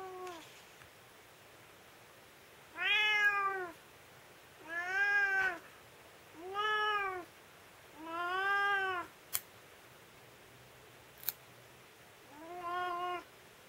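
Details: Domestic cat protesting while its claws are clipped at home, one of three household cats; five drawn-out, arching meows about every two seconds, followed by a shorter sixth, with sharp clicks of nail clippers between them in a quiet room.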